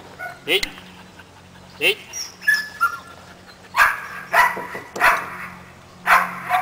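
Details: Seven-month-old Belgian Malinois named Caiman during obedience training, giving a series of short, sharp barks, about six bursts spaced across several seconds, over a steady low hum with a human voice nearby.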